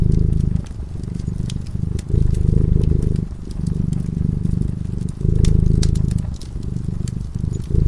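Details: Low, rhythmic purring from a cat asleep before a crackling fire, the rumble pulsing through alternating strong and gentler phases of about one to two seconds, with frequent small snaps from the burning logs.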